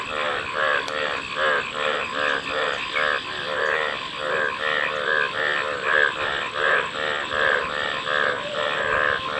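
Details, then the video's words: A chorus of frogs gives rapid, rattling croaks, several callers overlapping in a continuous pulsing rhythm with no pauses, over a steady background hiss. "Frog Calls | ব্যাঙের ডাক"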